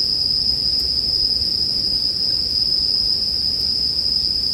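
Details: Bell cricket song with campfire sounds for sleeping: a steady shrill ringing tone stays constant, while gentle low crackling noise fills beneath it.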